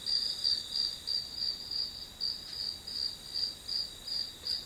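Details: Rhythmic grass insect song of shrill, high chirps repeated roughly three times a second, each pulse swelling and fading evenly, with no other clear sounds.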